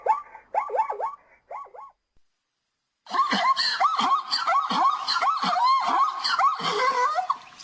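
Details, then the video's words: Zebra calling: a few clear, arched yelping notes, then a gap, then a rapid, harsh, braying series of barks at about three per second. "som de zebra ,Зубла Зебра ,斑马声"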